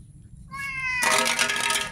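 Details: Street cat's single clear meow, level and harmonic, abruptly swamped by a loud broadband rush of noise for the second half.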